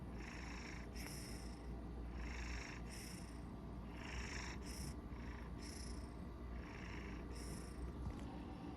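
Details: Koko, a Maine Coon cat, naps and purrs the whole time while asleep, also snoring: a steady low rumble runs beneath soft breathy hisses that swell and fade about every 1.2 seconds, seven of them in a quiet room.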